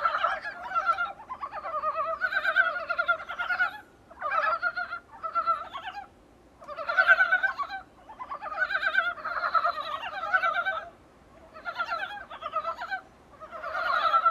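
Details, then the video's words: Chorus of Dybowski's brown frogs heard through a small room's window: throaty, rapidly pulsed clucking calls massed into swelling bursts of one to two seconds, separated by short quieter pauses. "북방산개구리 울음소리"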